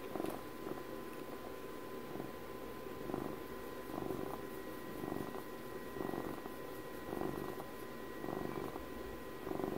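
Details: Close, continuous purring from a house cat linked to Puppy's 12th birthday, about ten breath-paced rumbling surges spread evenly over ten seconds, gentle throbbing texture, a faint tonal hum in the background indoors.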